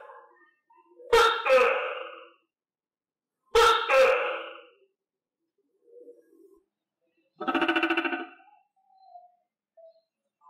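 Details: Pet tokay gecko fed crickets gives two loud two-part harmonic calls about 2.5 seconds apart, then a shorter pulsed rattling burst, with faint low sounds between.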